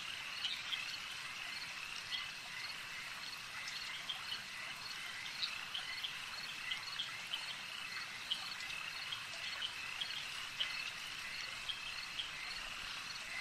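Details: Frogs calling at a lake: a dense, steady chorus of short, high, clicking croaks overlapping continuously, with brief louder notes popping out every second or so over a soft background hiss.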